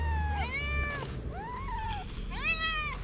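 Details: Feral cats on a sidewalk, hungry and meowing loudly for food; three drawn-out meows in sequence, the first and last loud and arching, the middle softer and wavering, over low background rumble.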